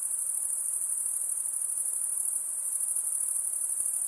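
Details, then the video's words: Lakeside insect chorus: a persistent, sharp, very high-pitched ringing with a faint fluttering pulse, continuous and even, without other animals or voices. "Relaxing high pitched INSECT sounds"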